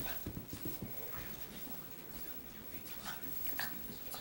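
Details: An 11-month-old Boston Terrier and a 3-month-old French Bulldog playing together indoors: scuffling, short snorting and whimpering bursts, panting and brief sharp noises, irregular throughout.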